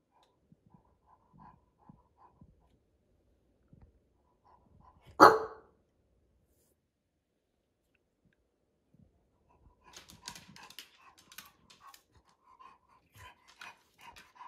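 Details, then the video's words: A bulldog being ignored lets out a single loud, abrupt bark after a quiet stretch, followed by scattered soft sounds and faint rustling. "Ignoring a Bulldog… barks and backlash"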